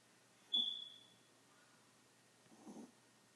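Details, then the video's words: A tiny pet Chihuahua snoring like an old man: a high whistling squeak on one breath, then a soft, low, raspy snore about two seconds later, in a quiet room. "A snoring Chihuahua"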